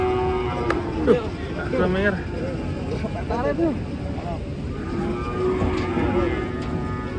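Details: Cattle being unloaded from a truck at a market; several short, drawn-out moos rise and fall over steady background noise, with faint music underneath.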